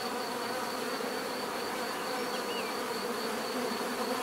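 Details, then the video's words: Bees in a natural setting, a dense steady buzzing hum of many wings with layered low drones and a faint thin high tone running through, plus a brief chirp midway. "bees therapy relaxing natural buzzing sound"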